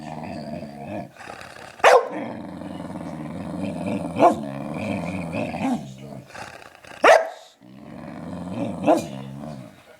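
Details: Pet dog on a sugar high after stealing a belVita biscuit, making long, low, rumbling growl-like moans in several drawn-out bouts, broken by sharp clicks and thumps.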